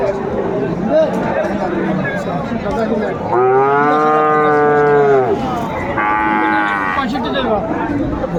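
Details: Cattle at Ambari Haat livestock market in Dinajpur on 22 April 2024, where Friesian and crossbred bull calves are sold: a long, deep, steady moo of about two seconds, then a shorter higher bellow, over crowd chatter and traders' voices.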